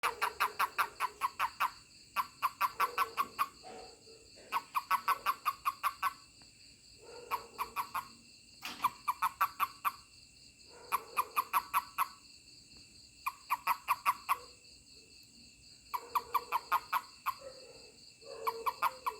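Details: Toad calling when touched by a person: repeated bursts of rapid, rasping pulses, each burst lasting about a second and recurring every two seconds or so, over a steady high insect drone in the background.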